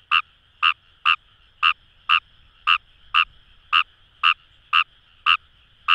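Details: Paddy-field chorus of Kawamura's rice frogs, Kamo River, Itoshima, Fukuoka, Japan: a dozen clipped, nasal croaks repeated roughly twice a second, fairly evenly spaced, over a constant background drone of more distant callers.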